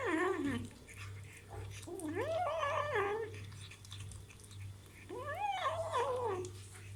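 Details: Kitten eating meat for the first time, giving three wavering, harmonic mewing growls that rise and fall, each lasting roughly a second, with pauses between, indoors over a steady low hum.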